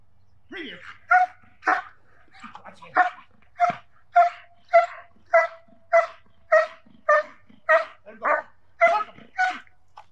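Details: German Shepherd trained for protection work barking steadily, sharp loud barks repeated almost twice a second in a regular series over ten seconds, with faint voices between barks.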